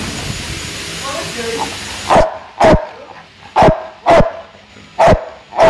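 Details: Big, strong American Bulldog that has twice placed third at ABA shows. Six sharp, loud barks about every half to one second follow two seconds of quieter background noise.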